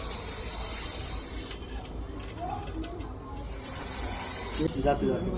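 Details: Russell's viper (ghonas) during a snake rescue in Akola district, India: two long, breathy, steam-like hisses about a second and a half each with a pause between, while people talk in the background.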